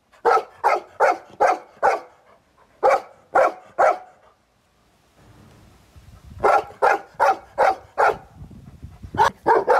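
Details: Golden Retriever barking at a skateboard: rapid runs of loud, clipped barks, roughly three per second, broken by a quiet gap with low rumbling, then another fast burst of repeated barks.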